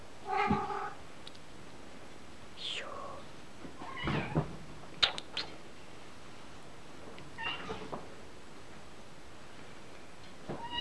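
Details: A kitten mewing indoors: several short meows scattered across ten seconds, one sliding up into a thin high squeak, with a few soft knocks and a single spoken word near the start.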